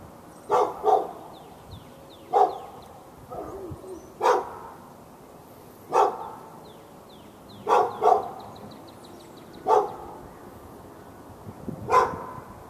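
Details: Domestic dog in Raleigh, North Carolina, seen through a fence, barking at the neighbouring dog on February 15, 2012, part of hours of daily barking. Sharp barks, some doubled, come every two seconds or so, with faint bird chirps behind.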